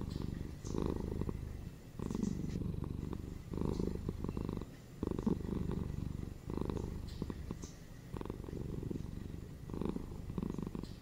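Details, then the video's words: Domestic cat indoors purring steadily, a deep buzzing rumble pulsing in breath cycles about every one and a half seconds, each swell slightly louder on the exhale. "SHORT ASMR 5 MINS PURRING CATS FOR RELAXATION & FOR SLEEP"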